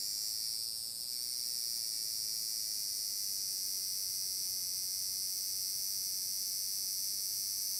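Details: Summer song of large brown cicadas recorded on 30 July 2022 at Magarikawa in Furuta, Nishinoomote, Tanegashima, Japan: a continuous frying hiss, high and even, with a brief dip in texture near the first second.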